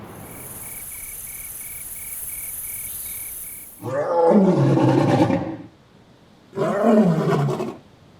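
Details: In the African savanna, steady insect trilling and a faint repeated chirp fill the opening seconds. Then a lion lets out two deep, raspy roars, each loud and drawn out before it trails off.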